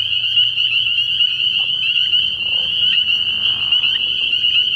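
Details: Many spring peepers calling together at night from a pond early in the year, their high-pitched peeps blending into a constant shimmering ring, with a faint low background drone.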